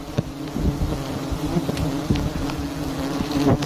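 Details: Honey bees swarming around a very large wild nest hanging in a tree in a palm garden, a steady low droning hum with harmonic bands, broken by frequent sharp clicks and knocks from handling nearby.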